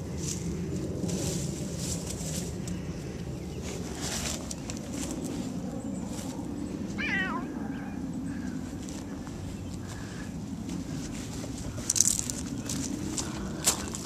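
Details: Gato, a pet cat, wandering around a yard and house; a single short meow with a rising then falling pitch sounds near the middle, set against a steady low outdoor rumble and occasional sharp clicks.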